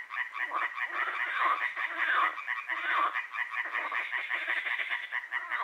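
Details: Loud nighttime frog chorus at Hłomcza, Sanok commune, Poland, lasting from moonrise to moonset: many overlapping, harsh, rattling croaks swelling and fading without pause.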